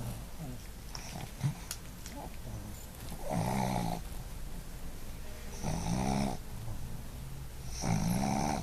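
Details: Sleeping Boston Terrier named Sophie snoring: three rasping, buzzy inhalations spaced roughly two to three seconds apart, separated by quiet breathing, in an indoor setting.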